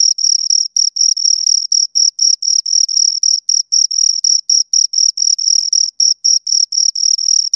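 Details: Two crickets chirping continuously, a high, pure tone with a fainter overtone above it, broken into short pulses about four per second, loud and close with an even rhythm; no other sounds.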